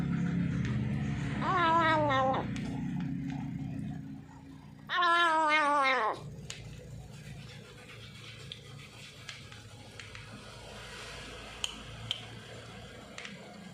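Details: Newly adopted feral cat making odd noises while eating; two drawn-out harmonic wails, the second louder, then quieter chewing and soft clicks in a small indoor room.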